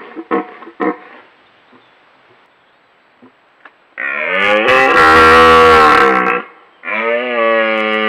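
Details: In autumn in the Scottish Highlands, a rutting red deer stag roars: a few short grunts, then two long, deep, rasping bellows.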